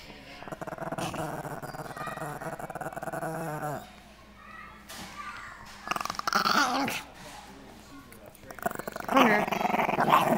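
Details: Baxter, a pet Chihuahua, growls indoors in a small room: a steady rasping rumble lasting nearly four seconds, then shorter growly bursts mixed with a child's and an adult's voices.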